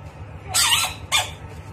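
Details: Screaming bullfrog in a fight with a rat, giving two loud wailing cries: a longer harsh scream with falling tones followed about half a second later by a shorter one, over low background hum.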